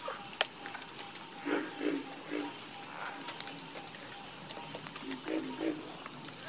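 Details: Soothing croaking from a chorus of frogs. Several brief low croaks sound in quick succession, about three per second at their densest, set against a steady high hiss.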